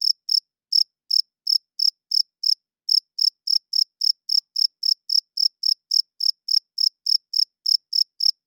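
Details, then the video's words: Loud chirping from a cricket at night: sharp, high pulses repeated several times a second. A brief pause breaks the rhythm early, then the steady train resumes. No other noise is present. "Cricket Chirping Sounds - Cricket klinkt 's nachts luid"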